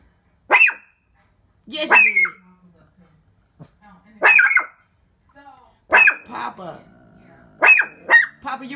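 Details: Worked-up Shih Tzu barking toward the window indoors: five loud, shrill yaps spaced roughly one to two seconds apart, some doubled, with quiet room noise and faint voice murmurs between.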